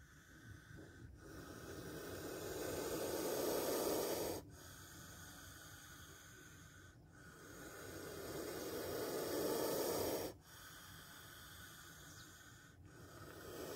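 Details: Spectacled cobra, filmed up close after nearly biting someone, hisses in long breathy exhalations. Each swells steadily for several seconds and then cuts off sharply. The hiss repeats about every six seconds over a constant background rush.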